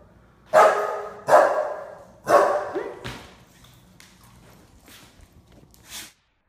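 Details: Playful female Springer Spaniel feeling her oats, recorded in iPhone slow motion: three stretched, roaring barks about a second apart, then softer scraping noises and a faint final bark.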